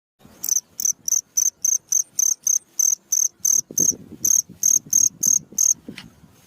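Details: Cricket calling at night, recorded as a training sound for cage songbirds: sharp, high, pulsed chirps repeated about three times a second, briefly fading near the end as low rustling noise rises.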